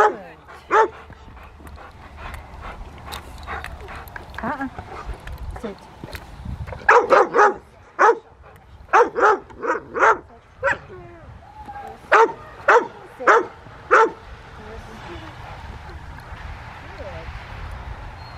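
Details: Rottweiler Willie v Schwarzerwald at play in the rain with a club helper, Victoria Rottweiler Club, December 13, 2020; scattered barks early, then a fast string of evenly spaced loud barks, people speaking nearby.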